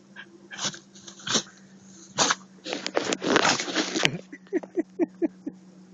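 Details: A Husky caught in a sneezing fit gives loud, sharp, breathy sneezes one after another, then a quick series of short snorting puffs. A steady low hum sits underneath.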